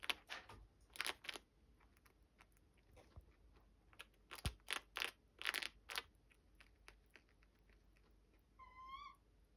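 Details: A chinchilla crunches and gnaws on dry beets in quick, sharp bursts, eating eagerly.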